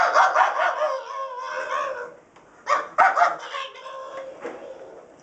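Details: Rosco the pug barks indoors at a vacuum sweeper with its carpet attachment, before the sweeper is switched on: a string of high, harmonic yapping barks, then a short pause and a few more sharp barks.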